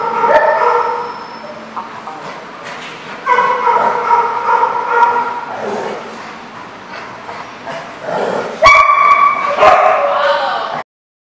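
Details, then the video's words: Several dogs at a boarding lot barking and yipping in overlapping bursts, with high whining yelps and a louder burst of barking near the end. "The Barking Lot"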